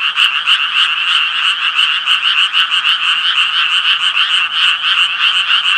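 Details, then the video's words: Japanese tree frogs croaking as a dense chorus: rapid, rasping pulses overlap into a steady mid-high buzz, swelling and dipping slightly several times a second, with no other sounds. "청개구리 울음소리"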